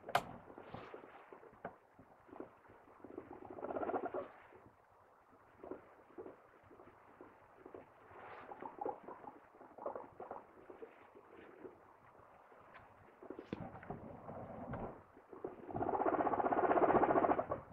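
A guinea pig makes quick, soft chuttering squeaks, ending in a louder, drawn-out squeal.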